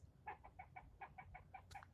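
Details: An offended squirrel, a male, keeps up a prolonged scolding aimed at a person: a steady string of nine clipped, nasal chucks about every fifth of a second, the last one sharper and harsher.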